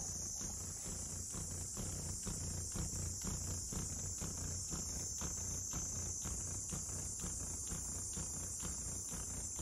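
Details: Female Oniyanma, Japanese giant dragonfly, laying eggs by striking into mud while a male waits nearby to mate; a low droning wing hum with rapid, fairly even tapping pulses, under a steady high insect chorus.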